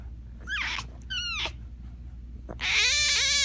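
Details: Tiger cub making two short squeals that rise and fall, a brief click-like sound, then a loud, sustained, harmonic-rich cry that wavers in pitch. A faint low hum runs underneath.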